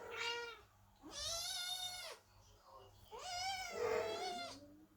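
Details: Kittens waiting at the door as the mother cat Chloe gives birth give three long, loud, drawn-out meows, each about a second, with a soft voice murmuring in the background.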